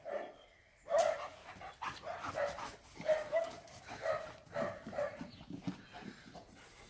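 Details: German Shepherd named Major playing in water after a walk, full of energy; a string of short high whining yelps roughly once a second, mixed with broadband splashing and a man's voice nearby.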